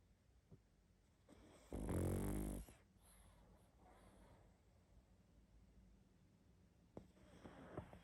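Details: Pug snoring heavily while asleep: a single strong, grating snore of nearly a second, followed by quiet breathing and small snuffles in a calm room.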